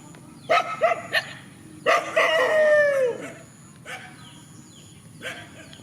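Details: Countryside dogs facing each other in a field: a few short sharp barks, then a drawn-out tonal cry that slides downward for about a second. A couple of fainter yelps follow over a steady hiss.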